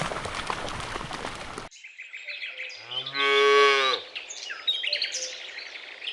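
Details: A cow in a lush meadow, in a herd foraging for food, lets out a single loud, even moo of about a second. Chirping birds can be heard before and after, and a short burst of noise opens the recording.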